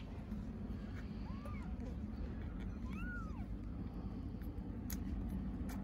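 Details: Hungry stray kittens in Istanbul call for their mother cat: two clear arched meows, rising then falling, about one and a half seconds apart, over a steady low rumble of traffic.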